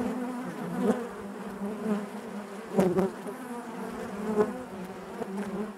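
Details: Steady low hum of many bees within a hive, broken by soft clicks and small taps, with brief louder buzzes near one and three seconds over the continuous drone.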